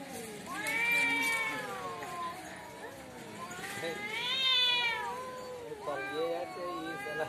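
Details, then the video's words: Fighting cats outside a house trade long, warbling yowls. Each howl rises, bends and falls again in slow waves, with three separate drawn-out wails across several seconds. "cat fitting l বাড়ির সামনে বিড়াল এর jhokra"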